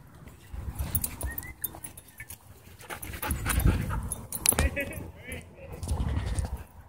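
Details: Dogs playing at a dog park, giving short high yelping and whining calls with rising, wavering tones scattered through the scene, mixed with scuffling, rumbling background noise and a person calling out to the dogs.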